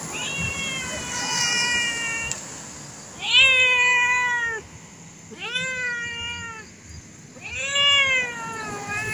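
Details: Tame cat with a fierce look giving four long, drawn-out meows spaced about two seconds apart, each starting with a rise and then sliding down, rich in overtones, over a steady background hiss.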